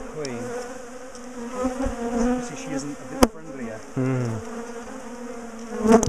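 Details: Many bees from a big, aggressive garden colony buzzing during the splitting and moving of their top bar hive; a layered, fluctuating hum with shifting pitch, a sharp crack near the middle and handling noises throughout.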